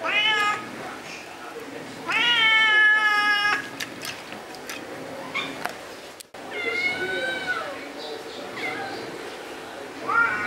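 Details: Indoor meowing from orange cat Jay on his second birthday, 19 March 2023: a short meow, then a long steady harmonic one, later a falling meow and brief rising chirps, with a human voice faintly in the background.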